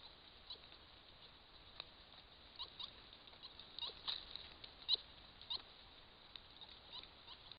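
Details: A group of white-nosed coatis (Nasua narica), recorded by camera trap in Bosque de las Américas, gives brief, high-pitched chirps and squeaks at irregular intervals.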